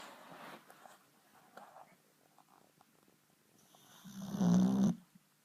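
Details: Rexie, a Boxer dog, snoring in his sleep and disturbing himself with it: faint scattered breaths early on, then one loud rough snore swelling near the end and cutting off abruptly.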